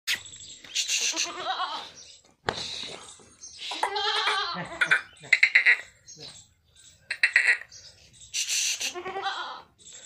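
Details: Jamunapari goat bleating in wavering, harmonic calls, while a person coaxes it in Chinese, followed by rustling and further bleats.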